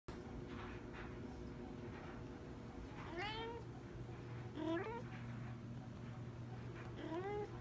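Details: Sean Coonery, a big, lazy Maine Coon cat, gives three short meows, each rising then falling, spaced about one and a half to two seconds apart, over a steady low hum and a quiet indoor background.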